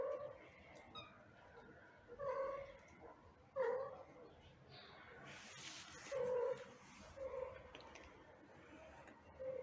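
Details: Mother cat back with her kittens after an operation, cuddling them; soft, mid-pitched meowing chirps repeat every one to two seconds over a quiet background with faint rustling and a brief burst of hiss.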